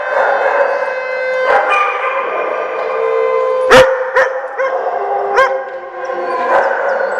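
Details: Dogs in a day care in Oswego, Illinois, howling along with a siren test on January 3, 2012: long, level howls from several animals overlap, punctuated by one loud bark and scattered yips.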